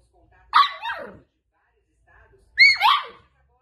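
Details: Playful miniature Dachshund, a sausage dog or teckel, giving two sharp high yips about two seconds apart, each a short rising-then-falling bark, with silence between.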